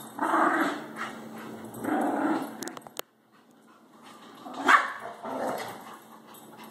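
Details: Shih tzu and Labrador dogs at night tussling over a shared toy; harsh growls and a short bark, a brief silence near the middle, then renewed growling and a sharp yip.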